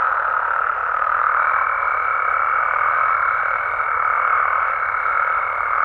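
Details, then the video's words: Mexican frogs and toads at night in natural surroundings, a constant droning chorus; after about a second a sustained, higher, even tone joins and holds to the end. "Mexican Frogs & Toads Sounds"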